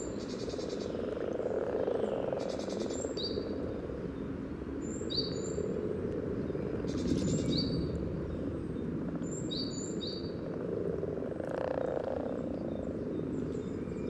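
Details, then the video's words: Breeding common frogs at a spawning site in Sunnersta, Uppsala, recorded by parabolic microphone: an unbroken low purring chorus beneath frequent bright bird whistles and short chirped phrases. "Spelande vanlig groda"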